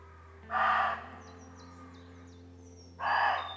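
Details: Two coarse, explosive roe deer barks spaced about two and a half seconds apart, part of a lengthy exchange between deer; a bird's short high whistled notes repeat softly in the gap.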